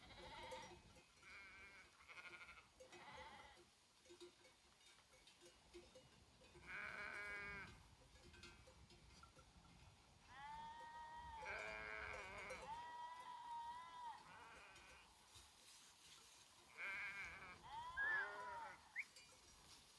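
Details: Sheep from a grazing herd in Romania's Făgăraș Mountains give repeated quavering bleats, some short and some drawn out, several voices overlapping, with soft bell clinks between calls.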